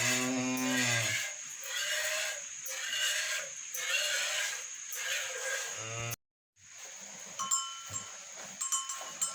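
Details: Cow during hand milking in a village: a low, drawn-out harmonic moo opens, a second low call rises near six seconds, and between them come rhythmic spurts of milk squirting into a pail over a steady high whine.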